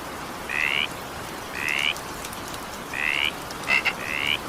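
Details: In steady evening rain, a frog gives four rasping, upward-slanting trills spaced over a second apart. A pair of quick clicks comes just before the final croak, and constant rainfall fills the background.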